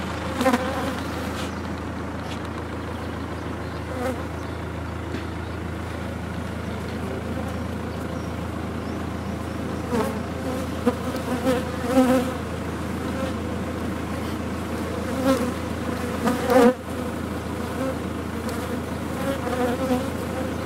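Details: Large honey bee colony being removed from a sealed-off chimney; steady low droning hum of many bees throughout, with occasional clicks and knocks from the work.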